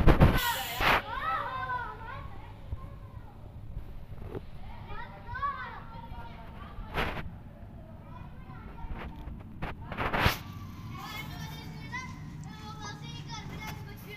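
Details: Rescued kittens cared for by a nursing cat, the mother-like cat warming and loving them. Frequent thin, arched mewing calls repeat through the clip, with sharp knocks or clicks near the start and middle and low background rumble.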